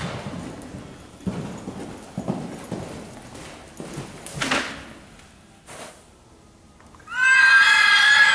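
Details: Horse running around an arena: scattered hoof thuds and clatter for several seconds, then a loud, high, wavering whinny with a trembling, quavering tone bursts out near the end and carries to the finish.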